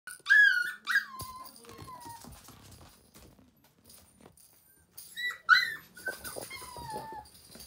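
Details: Male Toy Poodle puppy, playful and fond of toys, giving two bursts of high, thin whining yelps that slide downward in pitch, one near the start and another about five seconds later, with quiet rustling between.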